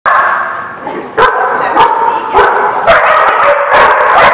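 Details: Dog barking at The Barking Lot on 23 December 2016: sharp, loud barks repeated roughly every half second to second, over a steady midrange hum that fills the pauses.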